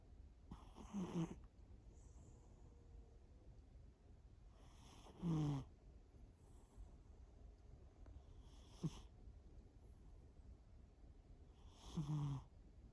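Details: Snoring of Shimao, a domestic cat asleep, in a quiet room: four short raspy snores spaced about four seconds apart, each with a breathy hiss, between soft background hum.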